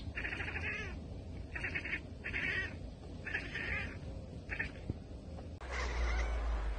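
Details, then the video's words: Domestic cat chattering at prey it spots but cannot reach, a bird or insect: rapid stuttering clicks in five tight bursts, each under a second, with brief gaps between, ending with a louder rustling noise. "Cats Ekekekeke Compilation - Cats chattering at birds!"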